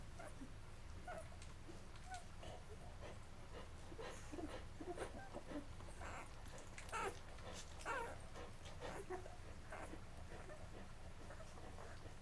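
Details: Labrador Retriever puppies, eleven days old and belonging to Mocha, eat until full before drifting off to sleep. Irregular soft whines and tiny squeaks mix with rapid suckling clicks and shuffling, a faint hum underneath.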